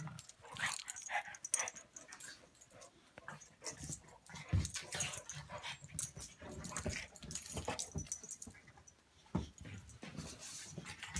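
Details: Play-fight between Buster the pug and Patton the English mastiff: deep throaty growls and huffing breaths come in uneven bursts over constant scuffling and paw noise, then a pause before more grumbling.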